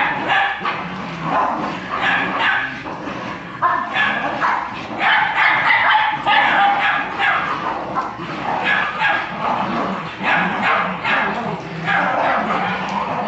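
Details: Jagdterrier in Brazil barking almost without pause: sharp, irregular yapping barks at roughly three per second, some overlapping into yips, with a person's voice breaking in now and then.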